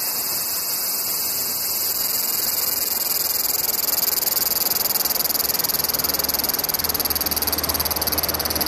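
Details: Cicada song from a collection of cicada sound types: an even, continuous high-pitched hissing buzz with soft low background noise.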